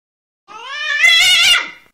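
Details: Cat giving a drawn-out, wavering meow that turns harsher and more strained in the middle, then fades away over about a second and a half.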